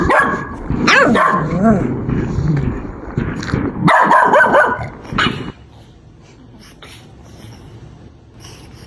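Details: Puppies at play with toys on green grass: a busy run of sliding, whiny yips and short barks crowd the first five seconds, then the clip fades to quiet outdoor background.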